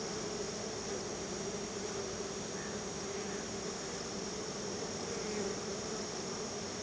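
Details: Many honey bees swarm around their hive while their keeper gives them store-bought honey as a thank-you treat; a continuous, even, low hum of massed wingbeats fills the recording, with no other sounds standing out.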